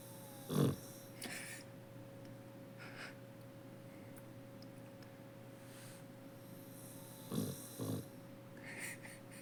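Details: Pan, a 15-year-old elderly female dog wearing a diaper, asleep indoors; short snorting snore bursts near the start and twice around seven to eight seconds, with quiet breathing and a steady electrical hum between.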